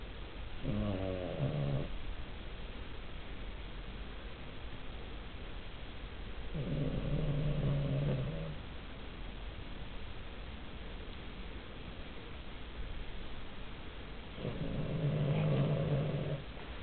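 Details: Sleeping Cavalier King Charles Spaniel snoring: three low, rasping, harmonic breaths spaced roughly seven seconds apart, each lasting about a second, over a steady quiet background hiss.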